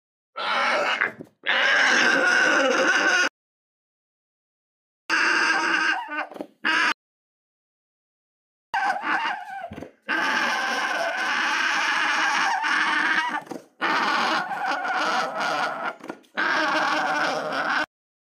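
An alpaca gives loud, harsh, shrill screams in bursts broken by short silences.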